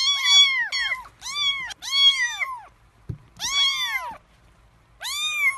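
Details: Hungry three-week-old kittens before eating give loud, arched meows in quick bursts, some overlapping, with a short gap and a soft knock in the middle, indoors.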